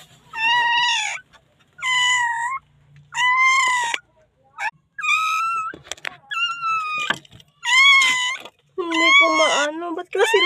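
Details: Newborn puppy calling for help in the Philippines, later found safe: about eight high, strained whining cries in quick succession, each under a second, some steady and some bending upward, with short breaks and scratchy rustling between them.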